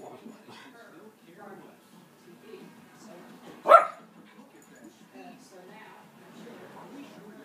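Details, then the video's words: Female Schnauzer reacting to animals on a television screen with a single abrupt bark amid quiet human speech. "Schnauzer Barks at Animals on TV"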